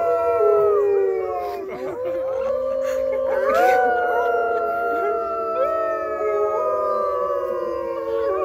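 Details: Wolf chorus at a farm, several animals holding long, level howls that overlap at varied pitches, with rising slides and short yips mixed in, continuous from start to finish.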